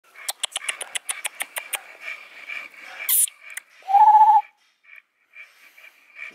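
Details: American Bully pocket males in Romania, champion Mr. Sos aged three years and Kap aged eleven months: a quick run of about ten breathy, evenly spaced pants, then a brief high squeak and a few soft, scattered noises.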